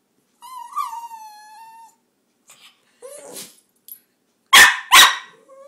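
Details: Pet dog "talking" and whining to its owner indoors: a long high whine that dips and levels off, a brief squeaky yelp, then two loud sharp barks in quick succession near the end.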